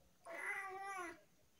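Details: Tabby cat indoors with a lot to say, giving one drawn-out meow of about a second, harmonic and slightly wavering, in a quiet room.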